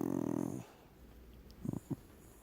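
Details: Relaxing deaf dog producing a short, tonal groan lasting about half a second, followed by quiet and two soft low thumps or snuffles in a small room.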